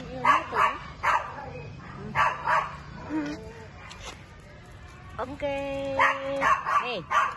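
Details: Pet poodle barking in a run of short, yappy barks in pairs and triples, with a brief tonal whine midway and a person talking in Indonesian near the end.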